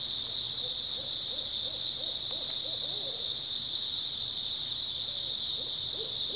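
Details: Dense, even, high chirping of grass insects through an early autumn night, with soft repeated owl hoots in a rhythmic series over the first half and a few more near the end.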